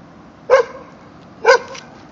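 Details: A 3-month-old white Jindo puppy, in a standoff with a neighbour's adult dog, gives two sharp, high-pitched barks about a second apart.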